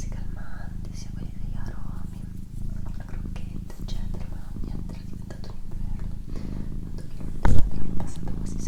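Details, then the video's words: Purring from a female house cat recorded indoors for relaxation: a continuous deep vibrating drone beneath quiet whispered talk, with a brief louder knock or rustle near the end. "Cat Purring"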